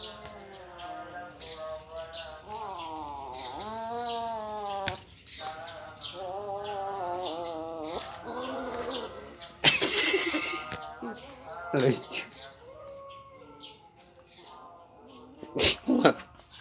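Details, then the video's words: Repeated plaintive mews from a poor, struggling kitten, a rapid string of arching cries in the first seconds, followed by crackling handling noise in loud bursts and fainter, sparser mewing. "anak kucing nangis"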